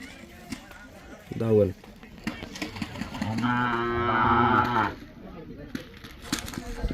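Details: Mysore/Khillar calves, five to eight months old, tied in a tethering line in Maharashtra: a brief low bleat, then a longer steady moo lasting over a second, with a man talking and outdoor background noise.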